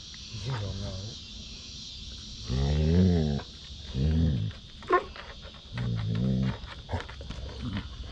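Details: Male Basset Hound playing with his sisters on a deck: three loud, rough, half-second baying calls separated by pauses, with short clicks and faint thumps between them.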